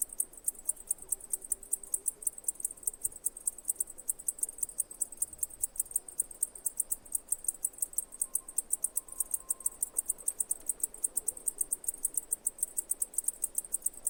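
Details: Chirping cicada: a long, dense run of very high ticking pulses, around seven per second, keeping an even beat throughout, with a faint steady tone appearing briefly midway in a quiet background.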